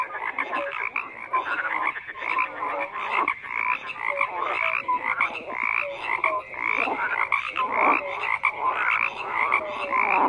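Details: Frogs croaking en masse: a steady wall of rasping croaks mixed with short pitched notes, dense and unbroken, several animals calling over each other.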